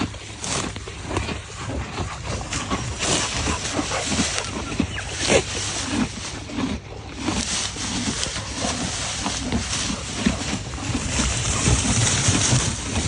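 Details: Horses eating: dense, continuous crunching and grinding of chewing at a fast irregular rhythm, with broadband rustle throughout.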